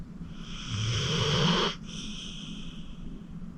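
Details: Acorn, a 14-year-old rescued senior pit bull from the Cuyahoga County Animal Shelter, a deep sleeper, snoring while asleep: one low, rough, drawn-out snore lasting about a second, ending abruptly, followed by quieter breathing and faint background hiss.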